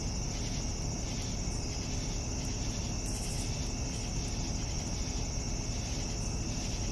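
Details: Evening cricket chorus: an unbroken piercing trill plus rhythmic chirps pulsing roughly every half second, with a deep steady background hum.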